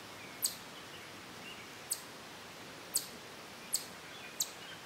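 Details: A chipmunk in a sassafras grove near a playground at Durand Eastman Park stops eating on a tree trunk, then gives sharp, high-pitched chip notes at uneven intervals. It is a stationary, defensive alert call, with a robin's whinny alarm call in the background.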